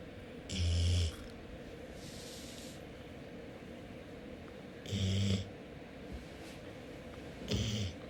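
A Golden Retriever makes three short, snorting nasal sniffles to ask for attention.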